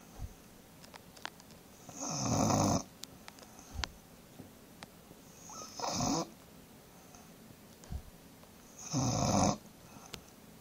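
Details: Thomas, a bulldog, snores while sleeping: three loud, broad, rasping snores about every three to four seconds, each lasting under a second, with quiet breathing and faint clicks between them.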